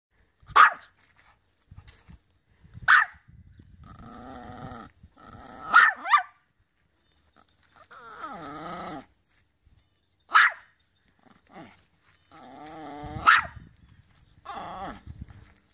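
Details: Dog barking in short sharp bursts every two to three seconds, with drawn-out whiny, wavering vocal sounds between the barks and quiet gaps.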